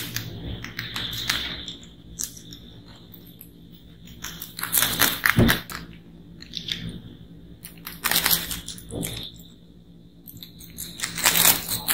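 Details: Crunchy chewing and crinkling bursts recorded close up in a small room, with no clear animal calls heard.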